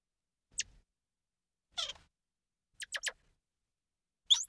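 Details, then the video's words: A few scattered high squeaks and chirps from a squirrel monkey, including a double chirp and one buzzier call, with long silent gaps between them. "Squirrel Monkey Sound"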